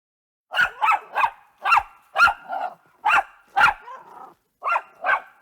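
A Jack Russell Terrier barks in sharp, high, clipped bursts, often in quick pairs or triplets.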